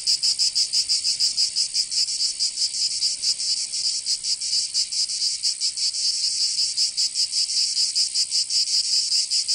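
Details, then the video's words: In Provence in southern France, cicadas fill a summer day with a shrill, high buzzing, its pulses less even and overlapping as several insects sing together. "Canto Cigarra 🦗 [ Escuchar les cigarras en verano 10 H]"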